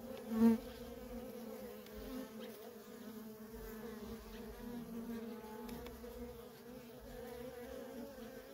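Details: Worker honey bees streaming nonstop in and out of a feral colony: a steady low droning hum with a strong fundamental and overtone bands, unbroken throughout, one brief louder buzz as a bee passes close near the start.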